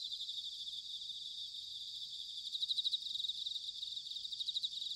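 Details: Bell crickets calling in autumn in Sanuki, Chiba Prefecture, Japan: a continuous high metallic chorus of rapid pulsed trills, fairly soft, over a faint low rumbling background.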